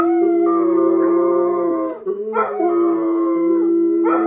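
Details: Two steady, level howls from bloodhounds, one long note held nearly two seconds, a brief dip, then a second sustained note, with a lower droning tone running beneath.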